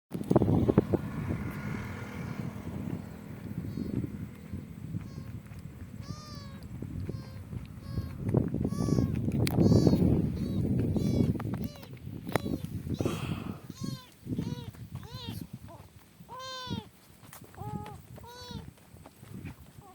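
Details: Kitten stranded in the middle of a highway, being rescued by a biker: a run of high, arched meows in quick succession during the second half, over heavy low engine and traffic rumble that dominates the opening seconds.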